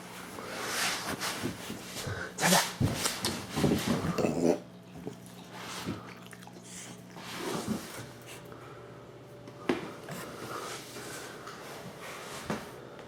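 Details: A Miniature Bull Terrier lets out a few throaty burps after drinking water, among snuffly breathing and snorts indoors.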